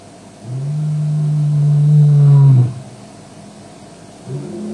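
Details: Male lion at Djuma, recorded on a WildEarth live stream in the evening of 09/05/07: one long, deep, moaning roar held for about two seconds, then fading, with faint low sounds afterward.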